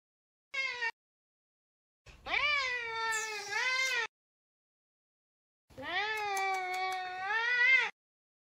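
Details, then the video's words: Talkative Savannah cat named Sabian meowing indoors while searching for another cat, Sabina: a short high meow, then two long drawn-out harmonic meows, wavering and rising at the ends, separated by silence. "Talkative Savannah cat!!!"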